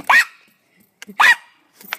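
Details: Coco, a dog playing in the snow and looking for his ball, gives two sharp, loud barks about a second apart, followed by a fainter short yelp; the surroundings are otherwise quiet.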